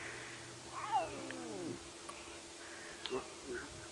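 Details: A lion cub, one of many full-bellied cubs playing at a buffalo carcass on an early-summer morning (13 September), gives a wavering, cat-like mewing call, practising its roar, about a second long sliding down in pitch; fainter short calls follow over a low engine hum.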